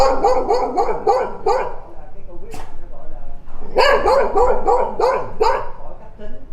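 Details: Dogs barking in two fast bursts of sharp, harsh barks, about five per burst, separated by a brief pause and a short thud, then resuming just as rapidly.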